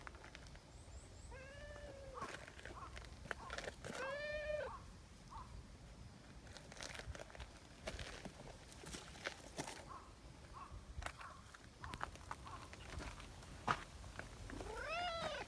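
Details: Tabby cat Nyahha, an affectionate community cat, meowing outdoors after a bout of seeking affection: three clear harmonic meows, a short one near the start, a longer rising-falling one at four seconds and another at the end, with rustling and clicks between.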